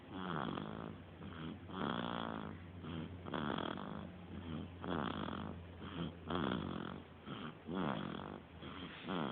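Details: A three-week-old puppy asleep and snoring: soft, rough breaths rising and falling in an uneven rhythm, roughly forty a minute, with a steady low hum underneath in a small room.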